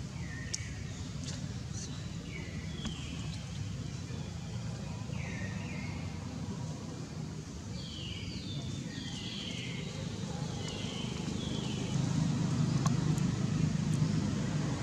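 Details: Baby long-tailed macaque Jinx, offspring of mother Jade, crying from hunger because her milk dried up; thin high cries slide downward, singly then in quick runs of three or four, over a steady low rumble.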